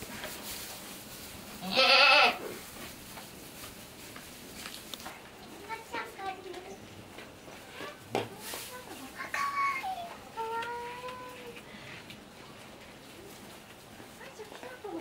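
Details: Triplet goat kids four days old at Saitama Children's Zoo, Japan; one loud, quavering, harmonic-rich bleat bursts out near two seconds, followed by quieter human voices and a few faint, wavering calls.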